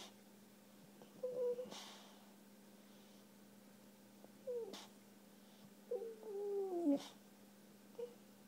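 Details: Dog named Ruger, a puppy unhappy after being neutered, indoors; soft short whines and whimpers at intervals, one longer wavering descending whine near the end, over a steady low hum.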